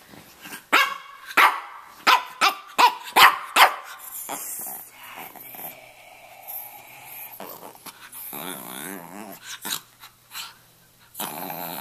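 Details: A Miami Brussels Griffon, Stanley, a red rough-coated male about two and a half, barks rapidly in a short talking burst for four seconds, then quieter rumbling and background noise follow.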